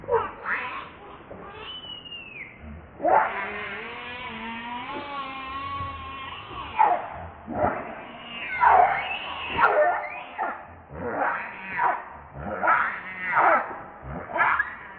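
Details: Baby monkey Leo, called Rainbow, crying to beg its mother for milk because it is hungry: long wavering squeals that bend up and down, then a run of short harsh cries roughly every one and a half seconds.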